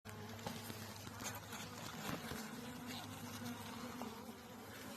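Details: Bees newly kept for beekeeping: a steady, low droning buzz with a constant hum running through all five seconds, swelling slightly at times, with scattered faint clicks and taps over it.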